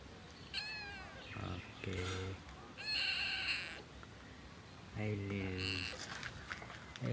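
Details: Cat giving several harmonic meows, some drawn out and nasal, others sharp and high, spaced a second or two apart, with a person speaking between them.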